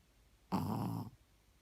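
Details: Sleeping Shih Tzu, one of several dogs kept together, recorded indoors on 2015/12/11: a single rough, raspy snore of about half a second, with a low buzzing rumble in a quiet room.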